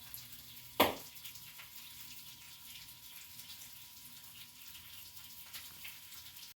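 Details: Quiet indoor hiss with one sharp click or knock near the start and faint dripping or running water, with no animal voice.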